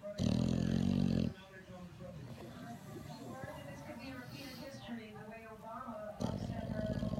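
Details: English Bulldog deep asleep and refusing to wake, its loud snoring keeping the owner awake. A gravelly, rattling snore opens and another closes the stretch, with television-like talk and a voice urging it to get up in between.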